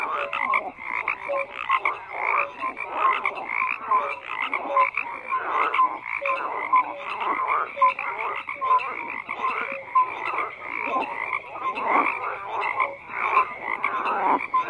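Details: Dense chorus of many frogs croaking, overlapping rough pulsed croaks and short tonal notes layered continuously, with no other sounds standing out.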